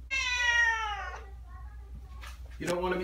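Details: Persian kitten protesting during a bath indoors: one strong, sustained meow lasting about a second and sliding gently downward, followed by a woman speaking reassuringly.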